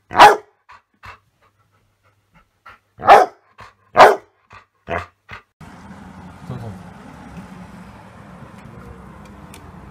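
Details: Dog giving a few sharp, isolated barks over the first four seconds, followed by soft short sounds and then a steady low hum for the rest.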